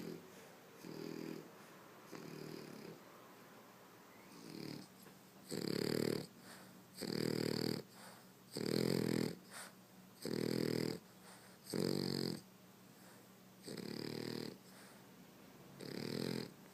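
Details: French Bulldog asleep and snoring loudly indoors. Softer snuffles at first, then loud, harsh rattling snores recurring roughly every one and a half to two seconds, with faint whistling breaths between them.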